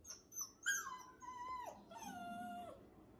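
A Labrador puppy gives high, drawn-out yelping barks that slide downward at the end.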